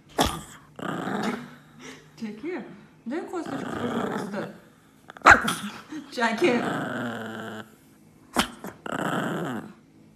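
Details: An angry dog, possibly Sammy, growls and grumbles indoors in a small room. Long rasping rumbles rise and fall, with soft whimpers and a person talking to it in between.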